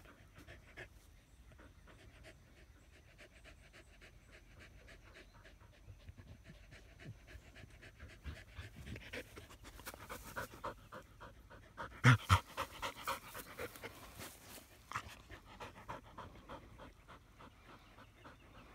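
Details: Australian Shepherds resting in the shade under a willow tree, breathing in rapid, uneven panting of about four breaths per second, growing louder midway with a few sharper bursts.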